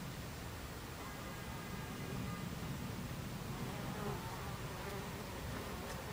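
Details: Buckfast bees at a beehive entrance, 26 July 2013 at 14:30, a steady low hum of many wings with a dense, even drone and faint higher whines drifting through.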